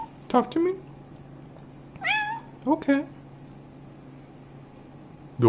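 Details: Pet cat "talking" with its owner indoors: a few short meows, one drawn-out rising-then-falling meow in the middle, interleaved with soft human voice in a small room.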